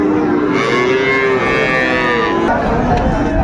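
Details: Drawn-out lowing from cattle at a Kushtia, Bangladesh market selling Sahiwal and Friesian bull calves, May 2024. The sustained, slightly wavering moo fills the first two seconds, then market chatter and voices take over.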